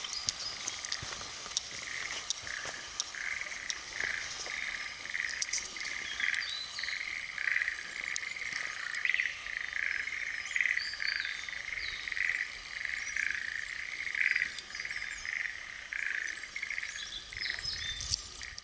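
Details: Frogs at Nitanuma, Japan, give a long regular train of brief rattling notes, about one every three-quarters of a second, against constant outdoor hiss and occasional higher chirps.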